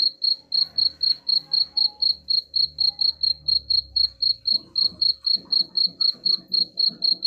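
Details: Evenly spaced high cricket chirps, roughly four each second, played as a rat repellent, over a low murmur of background noise and faint clattering in the latter part.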